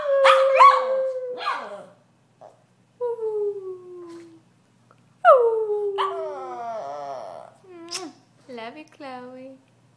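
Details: Chloe, a Brussels Griffon encouraged to sing, produces short falling howls broken by pauses, then a wavering warbled cry and a few brief yelps toward the close.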